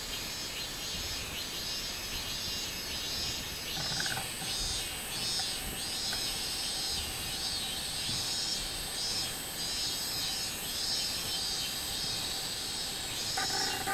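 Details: Robust cicada singing on 24 July 2016: a loud, high, buzzy drone that swells and fades in rhythmic pulses throughout, with a brief lower tonal note near the fourth second and again at the end.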